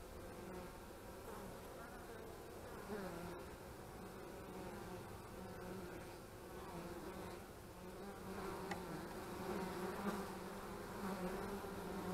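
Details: Buzzing honey bees around the hives, 25 March 2015, a thick layered hum whose pitch bands waver as individual bees pass close, swelling slightly louder toward the end.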